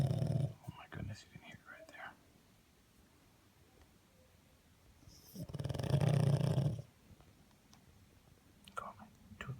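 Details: A sleeping pug gives loud, deep, rasping snores measured up to 96 decibels by a phone app, with a person murmuring between them; the owner suspects the dog then had a bout of sleep apnea.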